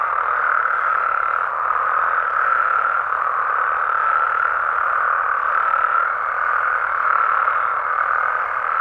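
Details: Mexican frogs and toads heard at night in the wild, many callers blending into a continuous, slightly pulsing croaking drone that swells and fades gently every second or two.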